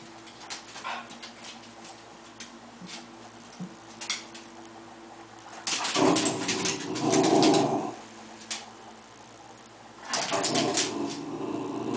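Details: Indoor cocker spaniel confronting a bug, growling. Faint grumbles at first, then a strong, gravelly growl lasting about two seconds, and another rough growl starting near the end.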